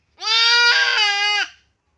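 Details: Goat during castration lets out one sustained, quavering bleat lasting about 1.3 seconds, steady in pitch with a wobble midway, in a quiet setting.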